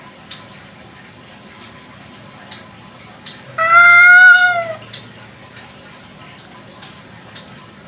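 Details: Free-roaming village cat (kucing kampung) at night, giving a single drawn-out harmonic meow lasting just over a second, slightly rising then falling, amid quiet background hiss and faint clicks.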